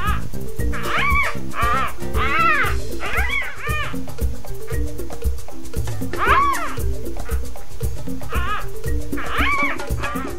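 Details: Young clouded leopard cubs at Nashville Zoo, from two 2012 litters, one pair a month old and the other three days old; repeated high arching mews in quick bursts, some doubled, heard over continuous background music.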